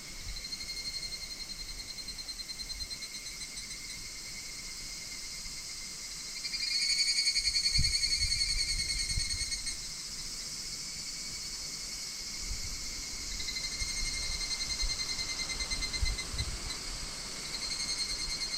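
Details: Higurashi cicadas call in August 2026 at Minoh Park, Kawachinagano and Koyasan. A high, ringing trill pulses rapidly and swells louder midway, then eases, over a quiet forest background.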